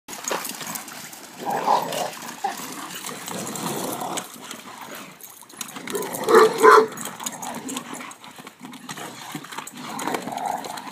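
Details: Two Pit Bulls, aged 3 and 4, and a 10-year-old Wheaton Terrier playing on and around a pool cover in a backyard; brief mid-pitched growly vocal bursts near the start and middle, over constant scuffling and rustling.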